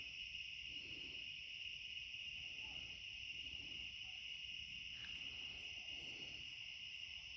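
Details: Back-yard night with cicadas singing late in summer: an unbroken, level high buzz with a thinner shimmering layer above, a soft low background rumble and one short click.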